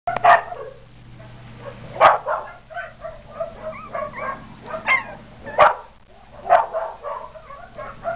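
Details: Blue and Red Heeler puppies, Australian Cattle Dogs from a winter 2011 litter, eating alongside half-sibling Texas Heeler pups; sharp yips and short barks burst out roughly every one to two seconds, with softer squeaks between them.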